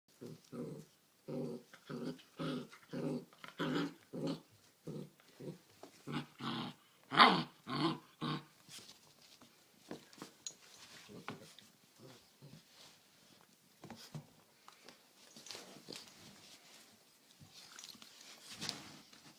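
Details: Great Dane puppy, seven and a half weeks old, playing and wrestling indoors with a six-month-old cousin: a rapid series of short rough growling bursts for about eight seconds, then scattered softer scuffling and shuffling sounds.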